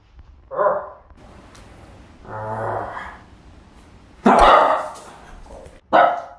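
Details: Pug reacting to a scary werewolf mask worn as a Halloween prank, giving a single bark, then a low rumbling growl, followed by two loud, abrupt barks close together.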